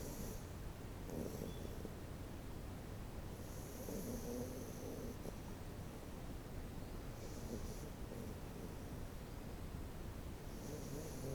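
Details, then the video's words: Cookie, a female Miniature Schnauzer, snoring loudly in deep sleep near a computer indoors; soft, low rasping breaths rise and fall steadily against a constant hum with faint higher whines. "Cookie the Schnauzer's Snoring"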